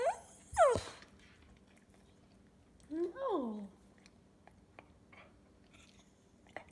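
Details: Indoors, the talking cocker spaniel Hudson gives a sharp, falling yelp, then a brief, bending whine about two seconds later. Quiet room noise and light crunching sounds follow, and a person talks to him about something being for them.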